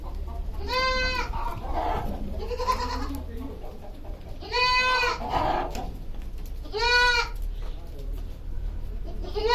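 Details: Goat kept on a goat farm bleating three times, each a short, nasal, quavering cry spaced a few seconds apart, with low background murmur between calls.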